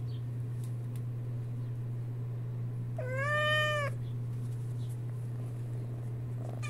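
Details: Sphynx kitten chattering: one drawn-out meow lasting about a second, rising slightly then gently falling, rich in harmonics, set against a steady low electrical hum and quiet room noise.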